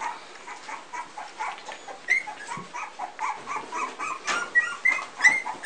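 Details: Three-week-old Pumi puppies of a litter whimpering together, many overlapping short high squeaks and whines rising and falling, with a few sharper yelps, no other sounds.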